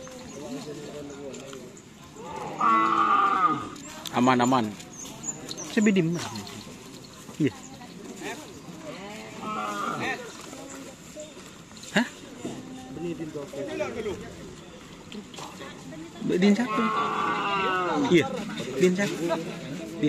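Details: Cattle at a karapan sapi (Madurese bull racing) training session at the Bluto field, ahead of a race event. Loud drawn-out harmonic bellows around the third and seventeenth seconds, with shorter calls between, amid crowd noise and background hum.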